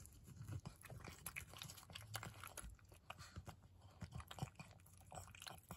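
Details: Maria, an elderly pug, munching on treats with rapid moist chewing and crunching, many short clicks packed closely across the clip, low constant background hum indoors.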